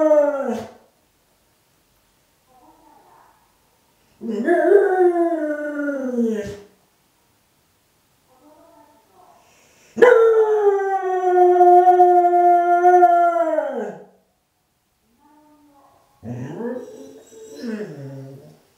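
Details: Dog howling along with the municipal evening chime, perhaps answering what it takes as a call from companions; a restrained version. Long harmonic howls of two to four seconds, rising then wavering and falling, four in sequence with short silent gaps.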